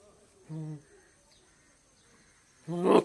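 A goat gives two nasal, harmonic bleats, a short one and then a louder, harsher one.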